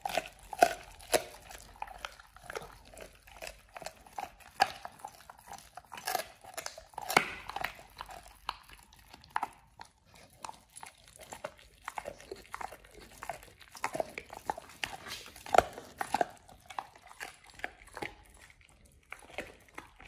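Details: A pit bull named Oliang gnaws his first raw ostrich paw indoors. Steady uneven crunching and cracking bites with short pauses between bursts and some louder snaps, no other noises.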